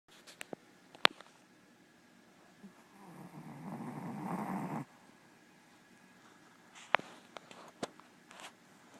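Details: Annie, a black female Pomeranian, snoring indoors: one long, raspy, breathy snore swells for about two seconds and then stops abruptly, with scattered sharp clicks and taps before and after it in a quiet room.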